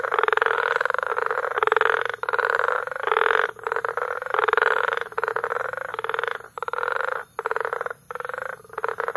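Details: Frogs calling together at Bagamoyo, Tanzania, in May, a massed concert of rapid pulsed croaks in overlapping bursts with short pauses between them, steady and loud throughout.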